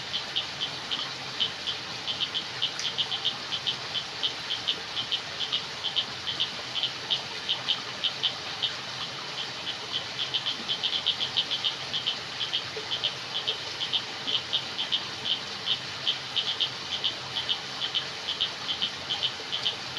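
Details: Crickets at night in a jungle, a steady run of short, high, pulsed chirps repeating several times a second throughout, over a soft hiss of background noise.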